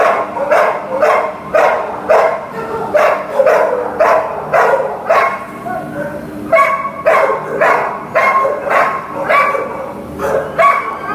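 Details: Greater Swiss Mountain Dog, a female awaiting adoption at a shelter, barking in a steady series of about two barks per second, each bark mid-pitched with rich harmonics, a brief pause near six seconds before the barking resumes.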